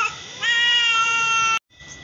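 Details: One of a mother-and-daughter pair of same-coloured domestic cats gives a single long, steady, even-pitched meow lasting over a second, ending abruptly.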